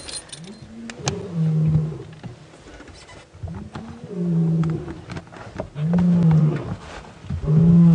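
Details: A male lion roars in deep, moaning bursts, each rising then falling, about every two seconds, with faint rustle, during a 4:30 PM safari drive near Djuma Game Reserve on 13 June 2016; fork-tailed drongos alarm nearby.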